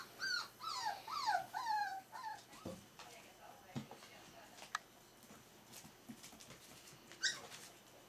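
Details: Pups of the Smooth-faced Pyrenean Shepherd, four weeks old, give three or four clear, bending whines in quick succession at the start, then quiet rustles and thumps with one brief squeak near the end.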